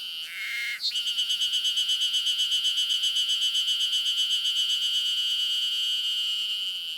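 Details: Ezo Haruzemi cicada (Terpnosia nigricosta) starting to sing at the beginning of summer in rural Hokkaido, Japan: a loud, high, pulsing song throbbing about four times a second after a short opening note.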